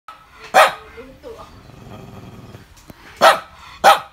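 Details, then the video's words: Chloe the dog barking in the morning, 5 July 2019: three sharp, loud barks, one near the start and two close together at the end, with quieter murmuring and rustling between them. "Chloe barking in the morning"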